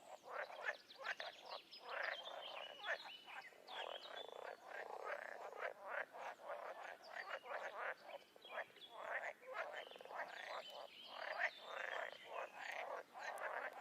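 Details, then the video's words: A chorus of frogs in the wild: many rapid, overlapping croaks and clicks pour out continuously, dense and rhythmic throughout, with no other sounds standing out. "Toads & Frogs in the wild"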